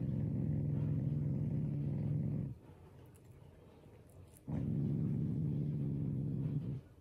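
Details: Shiba Inu growling playfully at its owners as a show of affection, not anger; two long, deep rumbling growls with a fast throbbing pulse, separated by a two-second pause, indoors.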